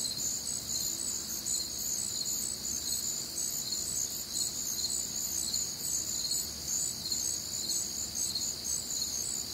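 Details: Warm, humid summer night in the American Midwest filled with crickets and other nocturnal insects: steady, piercing high trills stacked in bands, a continuous pulsing drone without breaks.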